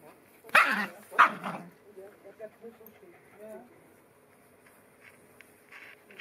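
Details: A Cairn Terrier with two visiting siblings barks twice in quick succession, loud and rough, about half a second apart. Quieter chattering sounds and a person's voice follow.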